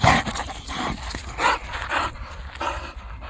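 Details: Boxer dog named Marsas playing with a ball: loud breathy panting and snuffling bursts come irregularly, roughly one per second, each spreading wide across the range, over a low rumbling background.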